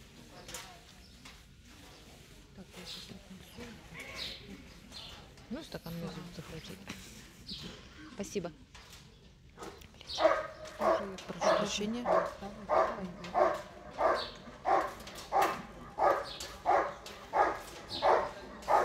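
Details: German Shepherd Bandit vom Haus Kogor at an IGP-1 qualification trial, section C, Russian Championship 2022; murmured voices and scattered noise give way to loud, regular barks, about one and a half per second, in the second half.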